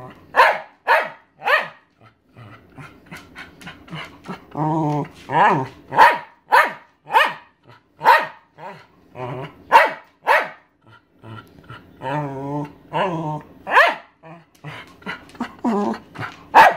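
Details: Aged thirteen-year-old Welsh Terrier begging for her owner's dinner, giving a long series of abrupt barks, irregularly spaced, interspersed with wavering whines and grumbling moans.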